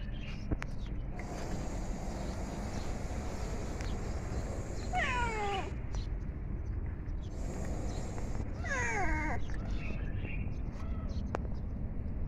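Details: Hungry domestic cat eating food gives two drawn-out meows, each sliding downward in pitch, about four seconds apart, over a steady low rumbling background.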